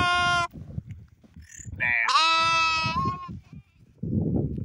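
A sheep gives two strong, nasal bleats, the second wavering and drawn out, over low background rumble.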